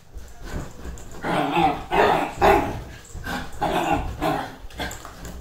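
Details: Excited Dachshund letting out a string of irregular, mid-pitched barks and yelping bursts, roughly two per second with brief pauses between groups, over steady low background noise.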